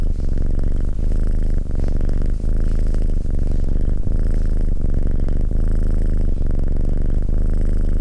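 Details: Relaxed male Abyssinian cat named SimbAs keeps up a rich, low purr while sitting close by, its rumble swelling and easing with each breath at a steady pace.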